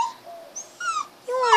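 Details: Male puppy whining to be let inside while being teased at home: short high tonal whines, some sliding down, some rising, in three bursts separated by brief pauses.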